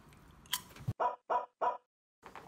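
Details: Shiba Inu dog during a snack tasting of dog-friendly whale-shaped crackers, letting out three short, sharp barks in quick succession about a third of a second apart, preceded by brief rustling and clicks, then silence before another faint sound.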